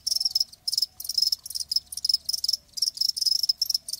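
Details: Live cricket chirping: rapid shrill high-pitched pulse bursts, about three per second, with brief pauses and a faint low tone beneath.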